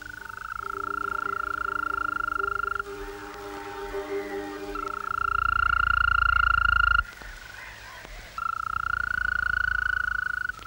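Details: In Estonia, at the northern edge of the species' range, a European green toad (Bufo viridis) gives its long, even, musical trill, its mating song, recorded at night, when it sings at full strength.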